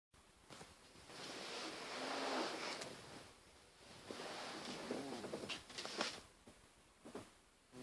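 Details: Darcy, a male house cat, snoring while asleep indoors: long breathy rasping swells about a second and a half each, carrying a low buzzing tone, two strong breaths followed by softer snuffling exhales and brief clicks.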